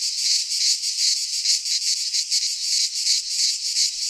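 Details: Short burst of midsummer cicada song in a Greek pine forest, a harsh high-pitched buzz pulsing in uneven rapid throbs, steady and dense from start to finish.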